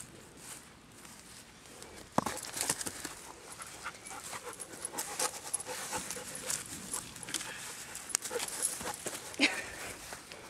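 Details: Merlin, a six-month-old Dobermann puppy, playing ball in a wooded yard being cleared for grass while a friend throws the ball; quick breathy panting bursts in a steady rhythm, with scattered sharp knocks and rustles.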